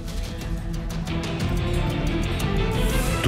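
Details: Background music fills the whole stretch, heavy in low tones with a loose, repeating beat. No animal call can be picked out.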